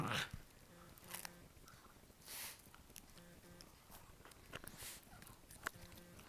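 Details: Biscotti, a Jack Russell Terrier, makes strange noises while guarding a bone indoors: short, low droning growl-like tones come in three separate bursts, broken by breathy huffs and chewing sounds.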